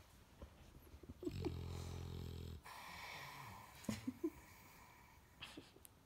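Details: A relaxed English Bulldog asleep on a girl, snoring: one drawn-out, low, buzzing snore, then a hoarse breathy exhale and a few faint snuffles and soft sounds.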